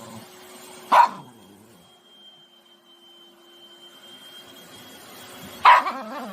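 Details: Poodle puppy angry at a vacuum cleaner, giving two short sharp barks about five seconds apart over a steady high mechanical whine.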